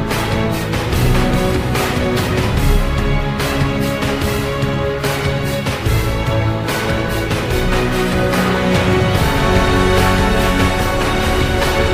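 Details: Loud, dense theme music with heavy low rhythm throughout a documentary about the African lion; no roar or other animal voice is heard.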